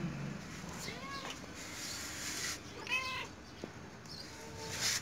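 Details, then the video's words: Domestic cat meowing as though trying to say something to the person recording. Three drawn-out, tonal meows with bending pitch come near the start, around the middle and at the end, over steady background hiss. "Cute Cat🐱 is trying to say something to me"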